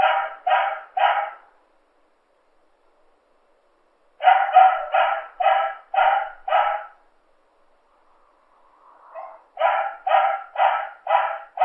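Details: Domestic dog giving repeated sharp barks: three quick barks, a long silence, a run of six, another pause, then a further burst of about five barks.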